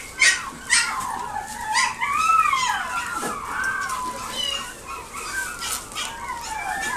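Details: Pekingese at a pet shop in Nagoya, Japan, making drawn-out wavering whines that rise and fall, with a few sharper yips early on and a faint indoor hum behind.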